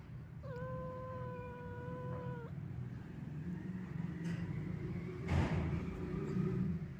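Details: Sad old domestic cat wandering: one long level meow lasting about two seconds near the start, then quieter fainter calls later over a steady low rumbling background.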